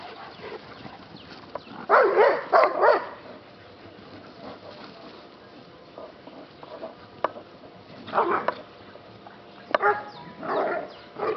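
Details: Yellow Labrador retriever, a rescue dog, play fighting: scattered short, rough barks and growly yelps in bursts, one cluster early then more near the end, with quiet stretches and faint clicks between.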